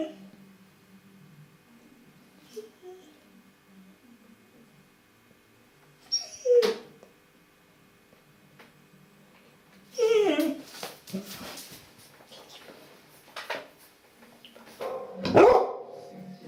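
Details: Female Labrador Retriever, one year two months old, indoors, gives a few brief high whimpers and whines in scattered bursts, separated by quiet stretches, with faint human talking in a small room.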